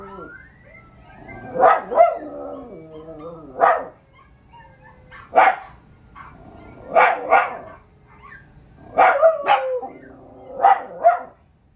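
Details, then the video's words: Young dogs respond to a howl challenge. Clusters of loud barks and yips come every couple of seconds, with short sliding howled notes in between. "Dog howl challenge"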